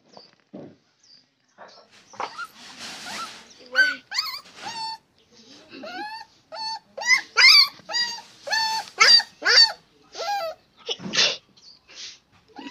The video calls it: Dog barking /